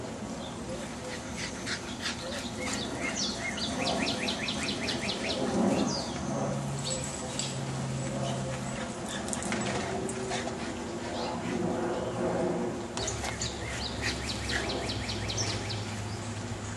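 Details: A young Boston Terrier urging her mother to play chase gives excited, high-pitched yips and whines in quick, chattering bursts, while people talk in the background throughout.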